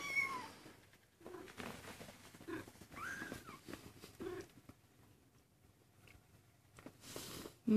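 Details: Maine Coon kitten, 19 days old, giving a few thin, high mews: one near the start and a curving, rising-then-falling mew midway, with soft rustling and handling noise between them.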